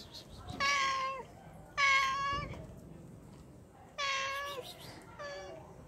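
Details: A hungry pregnant cat begs for fish with four insistent meows, each starting bright and sliding downward, the last one shorter and softer, against quiet background noise.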